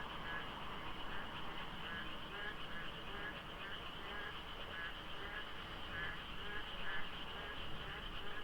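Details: Frogs in a monsoon-season dawn chorus at the Deokso IC highway interchange, where it is hard to tell whether they are many or a few overlapping. Pulsing, rattling croaks repeat continuously, with a faint low traffic drone.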